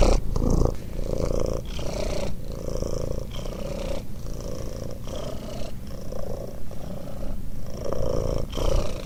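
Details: Sleeping cat stretched out on a car snores in a deep, grainy rumble, breaths rising and falling about every one to one and a half seconds, with faint hissy airiness on each cycle.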